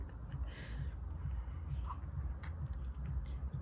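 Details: Domestic cat named Pyatnyshko growling, a funny motorcycle-like rumble: deep, low pulsed throbbing about twice a second, steady throughout, with faint background voices and a brief higher squeak.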